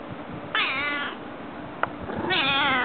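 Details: House cat known for meowing often; two short wavering meows about two seconds apart, with a soft click between them and faint background hiss.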